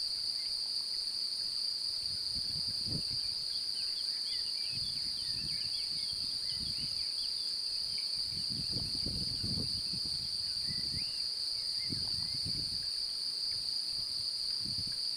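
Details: Male cricket singing to win a mate, an apparently interested female close by; its wings rub to make a long, level, piercing trill that never breaks, with scattered soft bird calls and occasional low thumps behind it.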